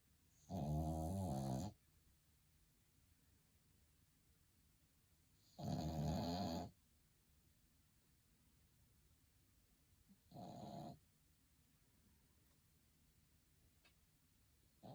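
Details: Sleeping pet dog snoring indoors, looking comfortable: three rough, rasping snores about five seconds apart, the first two loud and full, the last shorter and softer, with quiet breathing pauses between.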